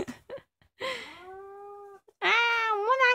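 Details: Kkomaengi, a two-year-old orange female pet cat, filmed at home at night: a drawn-out meow that slides down and levels off, a brief gap, then a louder, wavering, rising-and-falling cry.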